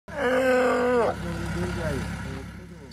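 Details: A Steller sea lion (aquarium staff believe it is one), stranded in the middle of a road in Yubetsu, Hokkaido, on the Okhotsk coast in winter, gives one loud, drawn-out moaning call that holds steady, then drops away.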